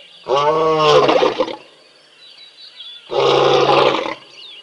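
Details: Big male lion of a pride roaring at a waterhole in Tembe while sub-adults play; two loud, deep, harmonic-rich roars about three seconds apart, with faint birdsong between them.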